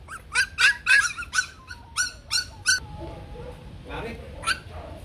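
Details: Bac Ha dogs, a shaggy Vietnamese native breed kept at a kennel that breeds them for conservation, give a quick run of eight high, sharp yelps about a third of a second apart, then fade into quieter whining and background murmur.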